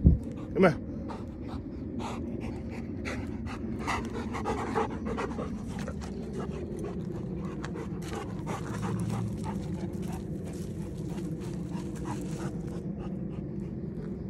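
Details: Two Rottweilers, two-year-old Samson and his one-year-old kennel mate Vader, roaming free through a neighbourhood at night; steady rhythmic panting at about 105 breaths a minute, with a sharp knock near the start and a man's voice calling them.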